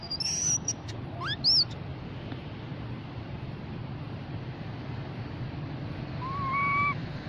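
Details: Calls of a baby mona monkey to the group: high thin squeals and an upward-sweeping whistle at the start, then quiet, ending with one level whistled tone, over steady low-frequency noise.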